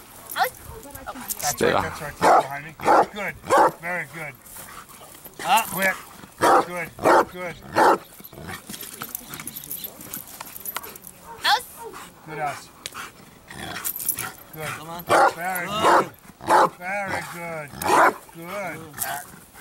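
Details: Achilles, a Bandog of 4.5 years, builds up to strong barks in training: a long run of rough, harmonic barks in clusters, roughly one and a half per second, mixed with continual human speech.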